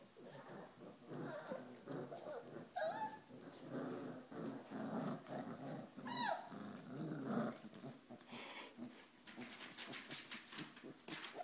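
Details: Pyrenean Mastiff puppies, four weeks old, from Nikita de la Tierra Alta's litter, playing: steady low rumbling growls throughout, with a couple of sharp squeals and scuffling noise toward the end.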